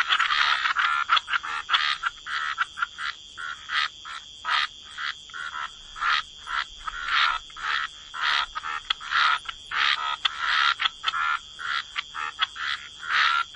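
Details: Chorus of frogs by the waterside in wetlands, short rasping croaks repeated in quick irregular bursts about twice a second, with a steady high insect-like hum running underneath throughout.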